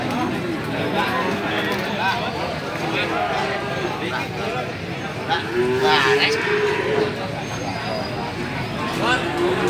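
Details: Pegon feeder cattle at the Gorang Gareng cattle market in Magetan; a moo rises and holds near the six-second mark, another at the end, over constant chatter, shouting and traffic of the crowded market.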